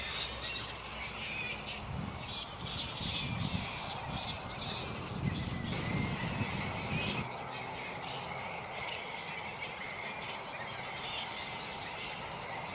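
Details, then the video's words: A black flying fox roost (Pteropus alecto) mid-morning, animals not yet settled: repeated sharp, harsh squawks and chatter at irregular intervals, with rustling and low noise below. "Black flying fox (Pteropus alecto)"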